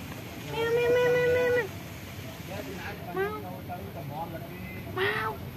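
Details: A pagoda cat, one of several hiding out of fear of people, lets out a long, steady, drawn-out meow lasting about a second, followed by two shorter wavering meows, against a constant low rumble.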